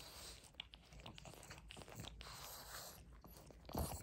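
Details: Pug chewing greedily at a rope toy indoors: continuous gritty crunching with rope-fibre rasping, ending in a louder burst of bites.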